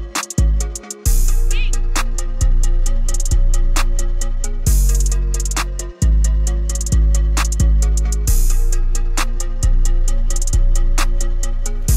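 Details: Electronic music fills the recording, with booming bass drum hits and sustained synth tones and no animal sounds.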